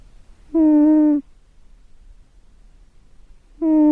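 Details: Snoring domestic cat, a steady humming tone with rich overtones lasting under a second, the next snore starting about three seconds later in an otherwise quiet indoor space.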